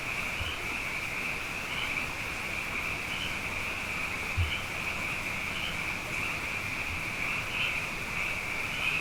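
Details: Nighttime frog chorus after two wet years, frogs abundant: a continuous high trill with brief brighter upward notes poking out roughly every second, plus a few faint low thumps.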